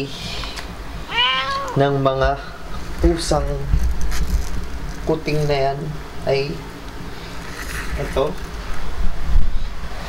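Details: Himalayan cat Blanca, a new mother with her kittens indoors: a run of short, wavering mews, rising then falling, mixed with human voices and a low rumbling background.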